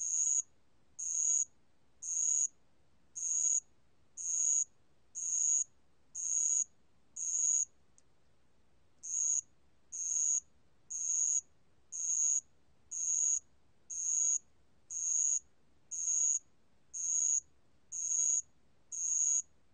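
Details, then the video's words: Spotted bell cricket (알락방울벌레) recorded in 2020 for a national biological resources archive: high, thin buzzy trills about half a second long, repeated roughly once per second in a steady rhythm, with one short gap near the middle. "알락방울벌레, 1번 듣기, 곤충소리"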